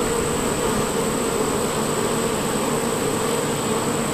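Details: Many worker honey bees at a hive entrance on a bee farm make a thick, continuous drone, a low hum with a brighter buzzy edge, holding steady without pauses or pitch changes.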